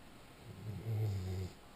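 A sleeping Weimaraner lets out one deep, rattling snore that swells and then fades after about a second. The sound is low and throaty, with a faint background hiss.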